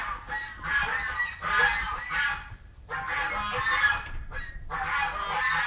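An Arctic fox gives harsh, hoarse yelping cries in bursts of about a second, with brief pauses between.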